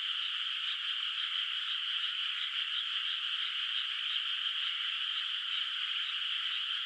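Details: Frogs calling at night in a moonlit countryside rice field whose water has not yet been planted: a dense, unbroken chorus of fast, pulsing high croaks merging into one steady trill, with no other sounds.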